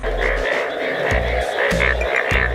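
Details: A dense chorus of Indian bullfrogs (Hoplobatrachus tigerinus), yellow-coloured in the breeding season, gives loud, throbbing croaks at night at Kumarakom, India, calling to attract mates.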